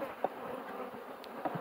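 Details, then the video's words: Aggressive honey bees humming at an opened hive while the smoker is sought; continuous low buzzing broken by a few soft knocks and clicks. "Пчели 2"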